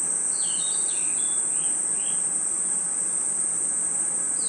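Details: At night in a forest, crickets and insects hold a constant high, ringing drone, dotted early on with several quick, descending bird-like chirps.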